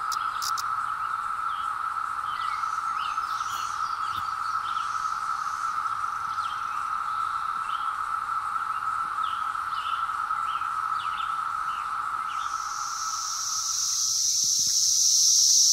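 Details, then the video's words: Periodical cicadas surfacing after 17 years, recorded in hillside woods on a Zoom H2: a level droning chorus with light bird chirps fades near the end, replaced by a louder, higher hissing buzz. "Cicadas Arrive After 17 Years | Sounds"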